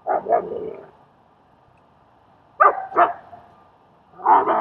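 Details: German Shepherd Strike in Queens, New York, helping train and socialize a fearful dog named Leonidas; three short, sharp barks: one at the start, a quick double bark mid-way, then another near the end, with quiet between.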